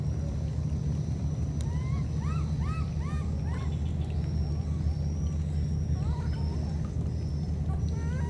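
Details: Two wild baby monkeys, separated by a flood, calling to each other: a quick series of short, high, arched whistling coos with harmonics, repeated about twice a second, then scattered fainter ones, over a steady loud low rumble.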